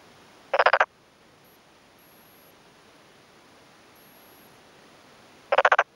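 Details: Two brief rattling croak bursts about five seconds apart from a male black-spotted pond frog in a water-filled rice paddy, rural Yamaguchi, Japan, on a May afternoon, exchanging calls with a nearby male; quiet background between.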